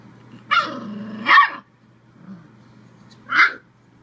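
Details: A Bull Terrier pup, having fun and barking at the camera, gives a few short, harsh barks with pauses between them.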